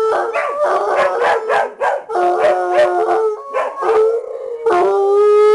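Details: Hound dog howls in quick, choppy pulses, a rapid run of baying yelps merging into longer wavering notes; a heeler is also present.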